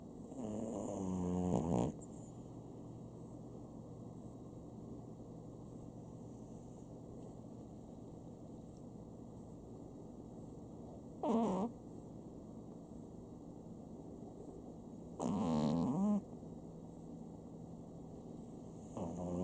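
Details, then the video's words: Chihuahua named Sam snoring at home indoors: low rasping snores in short bursts near the start, around eleven seconds and around fifteen to sixteen seconds, separated by long quiet stretches of steady background hum. "家のチワワ サムいびき"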